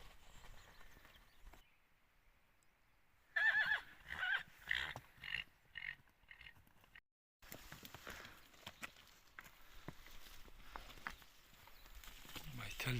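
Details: Wild horse, a stallion, calling outdoors: a loud, shaky, descending whinny in several pulsing bursts lasting about two seconds, after a quiet stretch, followed by steady rustling and wind-like noise.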